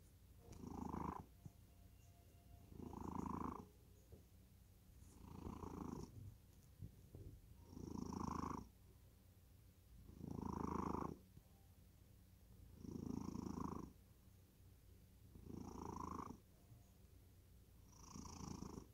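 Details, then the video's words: Cat sunk into deep sleep snores evenly, eight rasping low breaths across nineteen seconds, each a brief swelling rumble separated by near-silent pauses, quiet room. "고양이 코골이? 깊은 잠에 빠져든다."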